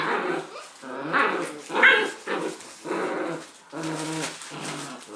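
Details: Leonberger puppies, six weeks old, tugging a toy between two or three pups, growling low and rough with short yaps and squeaks in bursts, several pups heard at once.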